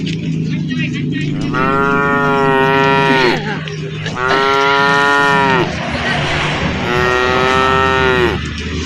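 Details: Tame cattle herded through a forest, lowing in three drawn-out moos of one to two seconds over a constant low background rumble.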